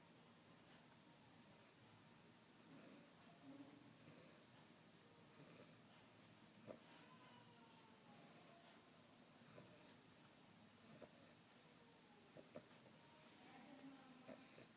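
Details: English bulldog puppy snoring under the bed, softly, with a hissing, wheezy breath roughly every second and a half.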